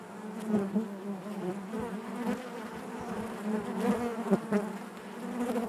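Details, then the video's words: Honey bees humming inside their hive: a dense, steady drone centred low with layered overtones, swelling and fading as individual bees pass close, with brief louder buzzes near the second and fourth seconds. "bees therapy hive natural buzzing sound"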